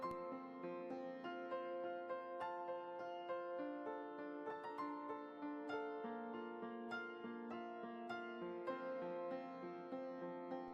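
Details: Gentle piano music plays steadily, its notes ringing in a soft melody, with no barking or other animal sound.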